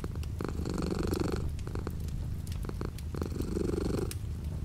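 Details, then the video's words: Cat purring close up while light rain patters outside the window; a deep vibrating rumble that brightens and fades in quick breath phases about every second and a half, with faint dripping clicks. "The sound of a cat purring with light rain outside the window."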